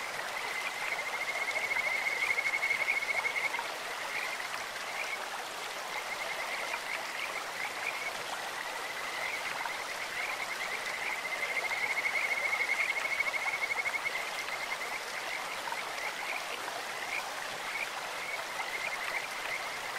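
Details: Kajika frogs in a clear-water stream, a beautiful bird-like voice: two long bouts of high, rapidly pulsed whistled trilling, early and again midway, with scattered chirps between over the constant flow of water.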